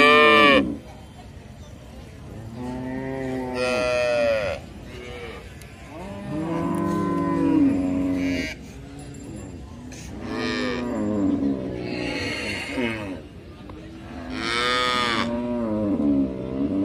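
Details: Cattle mooing repeatedly, about five arching moos over seventeen seconds, each rising then falling in pitch, some louder and brighter than others, with short quiet gaps between.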